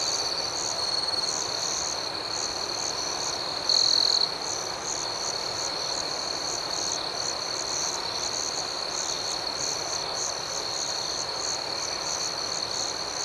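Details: Crickets chirping at night, a dense steady shrill chorus with quick regular pulses above it; around four seconds in, a nearby cricket adds a short, louder ringing trill before the chorus resumes.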